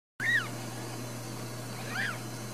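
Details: Ragdoll kittens at a home cattery in central Kansas, raised without cages; two short high arched mews about 1.7 seconds apart, thin and rising then falling, over a steady low hum.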